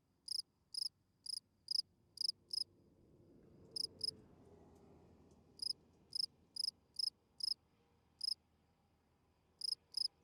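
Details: Nighttime field cricket calling song for attracting females: bright high chirps about twice a second, interrupted by a longer gap during which a soft low rushing noise swells, then chirping resumes.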